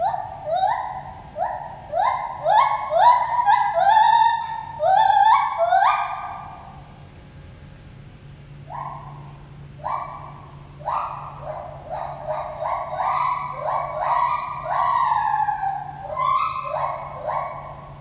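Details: Gibbons Lenny and Holly at the Toronto Zoo whoop back and forth: a series of rising, hooting notes that speed up and climb, pause briefly, then resume in another excited, overlapping run. A low steady hum sits underneath.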